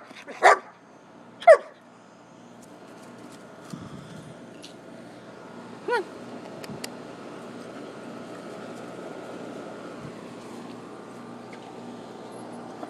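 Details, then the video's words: Poodle and shepherd at play outdoors behind the house: two quick barks a second apart, then a faint yip around six seconds, followed by low rustling and soft background noise. "Poodle and shepherd playing out back"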